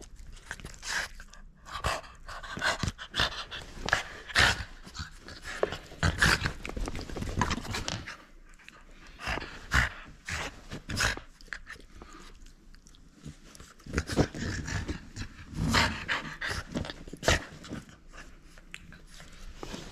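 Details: French Bulldog at play, refusing to give up its toy: rapid, noisy panting and snorting breaths come in irregular bursts, with short rough snuffles and faint scuffling between them, in a small indoor room.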